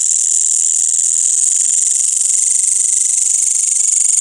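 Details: After sunset in a village, crickets and green grasshoppers fill the night with a shrill, high chorus carrying a fast pulsing rhythm of about four beats per second over a constant ringing background.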